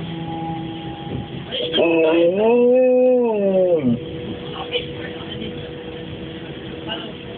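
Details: A Labrador reacts to the S-Bahn's starting noise with a single arched howl, rising then falling over about two seconds, set against a steady mechanical hum before and after.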